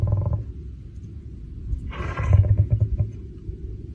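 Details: Lion sneezing: a low rumbling breath, then a sudden sharp, hissing burst of air near the two-second mark, followed by deep, throaty huffing grunts that fade out.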